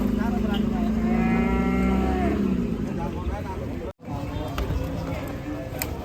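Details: Angry cow with a broken leg after jumping off a truck, bellowing one long, deep, steady moo lasting about two seconds, followed by softer noise and voices in the background.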